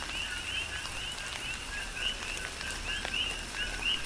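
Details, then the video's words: Coqui frogs in a Hawaiian rain shower on the Big Island, several loud upswept chirps rising above a busy frog chorus, accompanied by falling rain and scattered drops. "Tropical Rain & Coqui"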